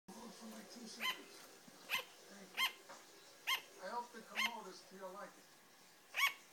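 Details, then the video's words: A female sugar glider barks with sharp, high yaps at uneven intervals, with faint voices in the background. "Sugar glider barking (you can actually see the glider )"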